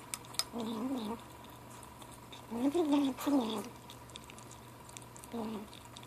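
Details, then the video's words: Seven-week-old gray kitten Ashe murmurs while feeding: a few short, trembling mews, two of them run together near the middle, with faint chewing and soft clicks between. "Kitten lunchtime talk"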